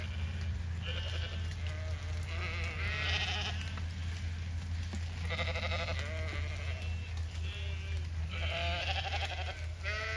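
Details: Flock of Zwartbles sheep on an Irish farm in County Kilkenny being fed after heavy rain, calling in repeated quavering bleats from several animals every second or two, set against a constant low rumbling hum.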